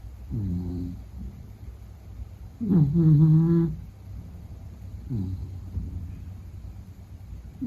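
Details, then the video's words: Sleeping Beagle snoring, low droning breaths with a louder nasal whine-like snore in the middle, repeating about every two and a half seconds in a quiet room. "比格犬睡觉白噪声 Snoring"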